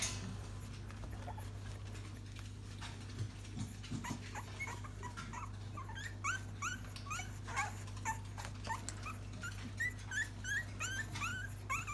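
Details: Newest litter of Staffordshire Bull Terrier puppies indoors: many thin, high squeaky whimpers and yelps, rising then falling, coming in quick succession from about five seconds on, over a steady low electrical hum.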